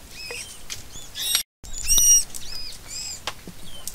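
Dugong giving thin, high chirps and short squeaky whistles, some sliding up or down.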